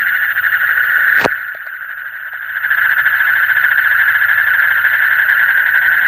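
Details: Frogs in the deep night keep up a steady pulsing chorus; a sharp click interrupts early, the calling briefly softens, then returns to a full, rapid mid-pitched trill.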